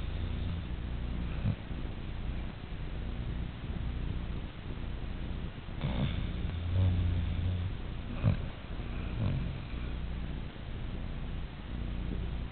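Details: A Siberian Husky asleep and snoring much like a person. A steady deep rumble with rasping peaks near the middle and later, irregular and without clear breaths between.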